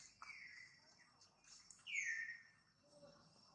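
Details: Jane, a pregnant mother monkey, makes a softer descending squeal early on, then a louder high squeal that slides down in pitch, over faint background hiss and a brief low tone.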